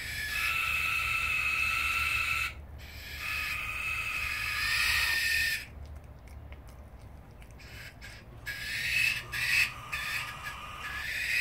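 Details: Two young common brushtail possum joeys screaming at each other: long, harsh, noisy screeches lasting a few seconds each, then broken, quieter rasping bursts and a final rising screech.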